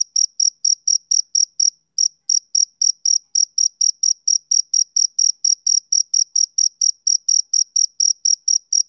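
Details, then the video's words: Male cricket chirping on a summer evening: shrill, high, evenly spaced pulses about three per second, with one short gap near the two-second mark; nothing else audible. "Cricket Chirping Sound Effect"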